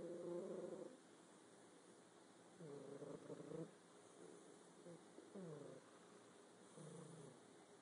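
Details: A pet cat asleep and snoring: rough, buzzing, low rumbles about a second long, repeated with each breath every two seconds or so, separated by quiet pauses.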